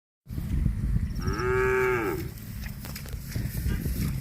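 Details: Cow giving one steady drawn-out moo lasting about a second, mid-pitched and slightly arching, over constant loud rumbling background noise.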